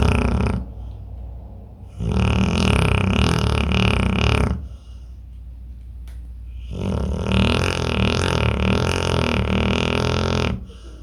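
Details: Pit bull in deep sleep, snoring: long, loud, rasping breaths about two to four seconds each, separated by quieter pauses, with a deep rumbling low end and a harsh, noisy upper layer.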